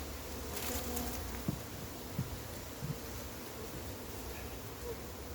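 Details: Low continuous buzzing of a large number of honey bees while their massive wild hive is caught, the humming drone steady throughout, broken by a few soft knocks and brief thuds.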